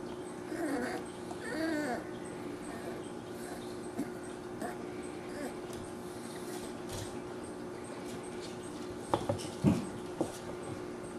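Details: Newborn Dachshund puppies born on July 5th 2009, from a litter of five: a few soft rising whimpering squeals early on, then faint squeaks and rustling over a steady low indoor hum.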